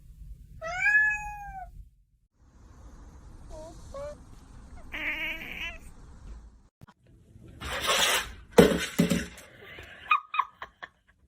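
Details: A pet cat gives a clear arched meow that rises then falls, then a few shorter, fainter mews. Loud rustling bursts and clatter follow near the end, with light talking nearby.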